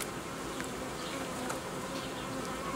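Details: Honey bees in a beekeeper's apiary while colonies are united and old queens replaced. A steady, low buzzing hum with faint tonal bands runs throughout, with scattered soft clicks and ticks above it.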